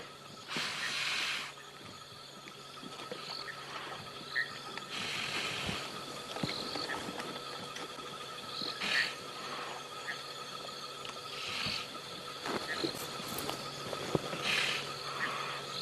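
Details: A roughly 14-year-old male Cape buffalo, held by the nose by a lioness at night, breathes in heavy, gurgling, rough hissing bursts every three to four seconds as blood flows into its lungs and it weakens.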